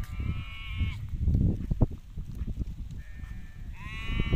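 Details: Hissar sheep rams, a breed praised as very good, bleating: a long, harmonic, wavering bleat at the start, then a pause filled with low rumbling noise, and two more drawn-out bleats near the end.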